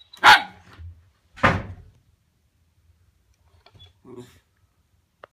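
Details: Wire Fox Terrier Winnie, barking at a pull-along toy dog named Bertie: two loud, sharp barks about a second apart, followed by quiet, softer sounds and near silence.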